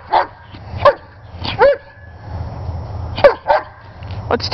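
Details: German Shepherd named Sheba, a pet dog playing with a ball, gives short sharp barks in irregular bursts, about seven in under five seconds, some with a brief rising-then-falling pitch, over a low background hum.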